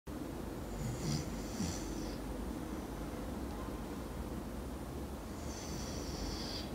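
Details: Miko, a sleeping dog, snoring loudly: rasping, breathy snores near one and 1.7 seconds, then a longer hissing exhale around 5.5 seconds, over a steady low background hum.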